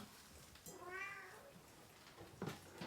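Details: A kitten crying during deworming, one of a mother cat's three kittens, indoors; a single drawn-out, wavering meow lasting about a second, rising then falling, followed by a handling bump.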